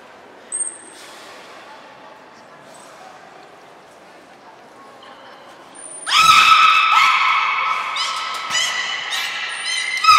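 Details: Belugas Hodoi, Taanya and Mirai during a training session at Port of Nagoya Public Aquarium, 1 November 2020; about six seconds of near quiet with a faint click, then a burst of bright, harmonic squealing whistles and chirps.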